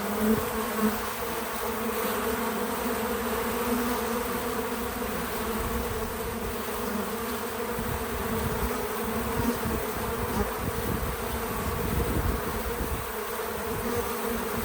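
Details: Many bees at a feeder on a small farm, filmed outdoors: an unbroken droning buzz that swells and fades gently as individuals move around, with no talking or music.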